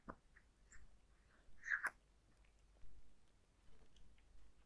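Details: Zayka, a cat, eating dry food indoors in a small quiet room: a few crisp crunches, one near the start and a closer pair after a second and a half, then softer scattered clicks.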